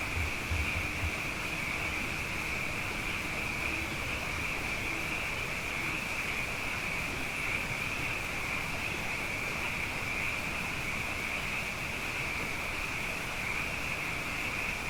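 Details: Many frogs, abundant after two wet years in a row, sing at night as a dense, unbroken chorus, a steady high shimmering band that holds for the whole stretch, with a few low thumps near the start.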